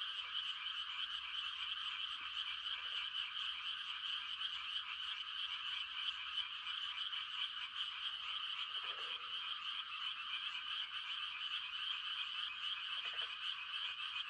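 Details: Frogs calling for mates through a quiet rural night produce a dense, even high-pitched chorus for the whole stretch, with a few faint lower croaks near three, nine and thirteen seconds.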